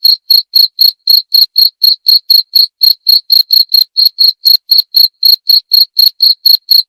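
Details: Continuous high, piercing chirps of a cricket, short pulses repeated about four times a second with steady rhythm and loudness against a silent background.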